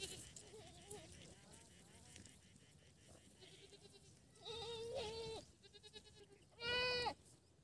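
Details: Baby goat kids bleating: two long, quavering, harmonic-rich bleats a couple of seconds apart, the second loudest, with softer bleats and faint voices in the background.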